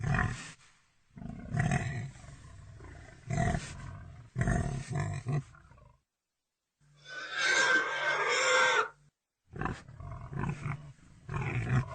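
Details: Deep, raspy pig grunts in repeated bursts, with a pause and then a piercing two-second squeal before the low grunting resumes.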